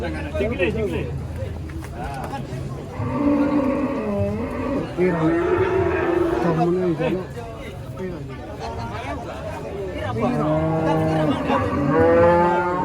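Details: Thin, bony cattle, pitied as nothing but skin and bone, give several long drawn-out harmonic moos, each lasting a couple of seconds, over steady chatter from people nearby.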